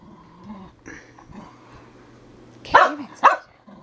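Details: Dog jokingly called a herding dog, said to act more like a chicken, lets out two loud, harsh barks in quick succession after a stretch of low background noise; a person then urges it on.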